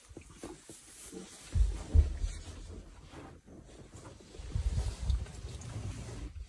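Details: Black Rock male lion named Olobor, behaving aggressively as if ready to attack tourists; deep, rough low rumbling growls come in two bursts, one near the start and a longer one later, over a background of steady low rumble.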